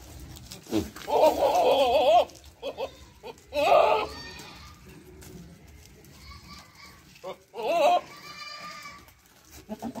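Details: Sirohi male goat and Ajmera female goat at a goat farm in Village Doongriya Khurd near Pushkar, Ajmer, Rajasthan; loud wavering, quavering bleats in three bursts of about one second each, with people talking in between.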